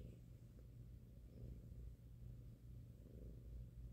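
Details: Five-month-old pet cat purring as his head is massaged on a person's lap: continuous deep, even rumbling with soft pulsing swells from in-and-out breaths.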